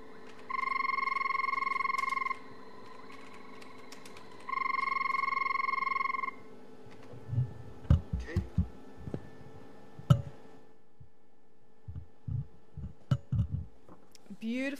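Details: Banded rubber frog (Phrynomantis bifasciatus) at Djuma Game Reserve, South Africa, on a rainy afternoon, 1 November 2011: two long, even, melodious trills, each lasting nearly two seconds.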